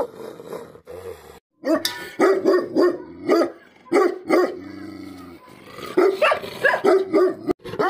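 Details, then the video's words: Angry barking from a Tibetan Mastiff, or Bhote Kukur: a rapid string of strong, resonant barks, a short lull with a low drone, then another quick burst of barks. "Angry dogs barking effect sound ||Tibetan Mastiff || Bhote Kukur"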